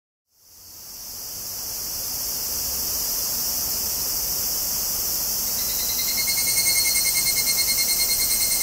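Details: Tanna japonensis cicadas recorded 14 August 2011 in Kobe, Japan, on a Zoom handheld recorder's front stereo mics. A dense, hissing high chorus fades in, then a rapidly pulsed, ringing tonal buzz joins in near the end.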